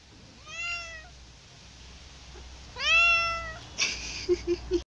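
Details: Domestic cats indoors: two drawn-out, clearly harmonic meows about two seconds apart, each rising then falling slightly. A few short dull knocks and thuds follow at the end.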